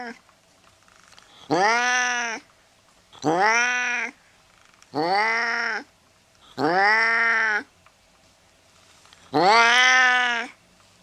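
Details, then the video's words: Domestic cat meowing, used as a sound to drive away mice: five clear, arched meows, each under a second long, rising then falling, repeated roughly every two seconds against a quiet background. "Tiếng mèo kêu đuổi chuột"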